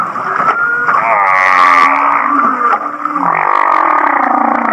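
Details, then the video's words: Laughing-like humpback whale song from Kihei, Maui: layered warbling tones, a rapid pulsed chuckle in the first half, then a lower sliding moan toward the end. "The Laughing Whale"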